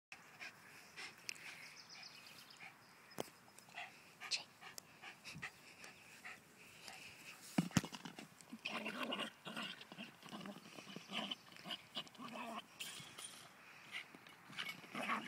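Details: Feisty Cairn Terrier playing with and attacking a ball, panting and making rough growly noises in irregular bursts, with sharp clicks and scuffling throughout.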